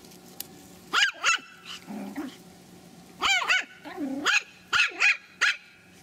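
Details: Three-month-old Pomeranian puppies from a kennel in Kyiv, Ukraine, giving high, sharp yips in quick pairs and triplets. Each note sweeps up and drops, with soft whiny murmurs between bursts in a quiet room.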